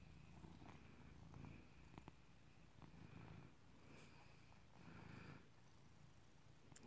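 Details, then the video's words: Tasmanian Cat, a male domestic cat named Tas Cat, purring on a bed indoors on March 2nd 2022; a low, steady rumbling purr with soft rhythmic pulses and a few faint clicks in a quiet room. "Tas Cat Purrs"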